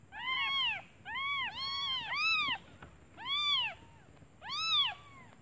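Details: Newly born kittens crying for their mother because they are hungry, the mother having gone out for food; six clear arched mews, some overlapping, roughly one per second, with a faint steady high tone behind.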